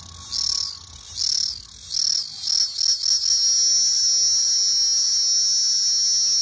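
A cicada sings a high, hissing buzz that starts in short bursts and swells into a steady drone.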